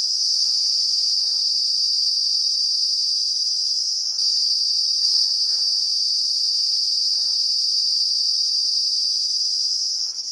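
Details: A cicada calling in the Uttarakhand hills of the Himalaya, its abdomen vibrating to make a loud, steady, shrill buzz that hardly wavers for the whole stretch.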